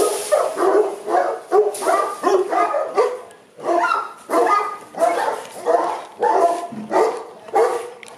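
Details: At a kennel in Accra, Aubin Boerboels, the Boerboels bark steadily, roughly one and a half barks per second, harsh and mid-pitched, with overlapping voices suggesting several dogs.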